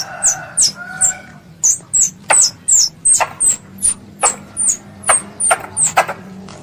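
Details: A squirrel, named as a pest, calls its mother with a series of piercing high chirps that drop in pitch, spaced unevenly about two per second. A faint lower whistle sounds near the start.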